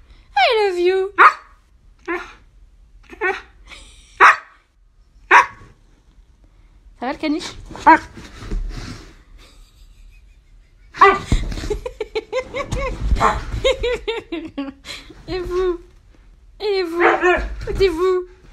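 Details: A Siberian husky about nine and a half months old yowls and whines in drawn-out, wavering tones, with a person talking over it.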